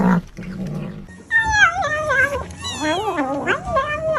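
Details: Cat making odd noises as it eats: after a short low rumble, drawn-out wavering cries that rise and fall, overlapping and uneven, with chewing-like rustles underneath.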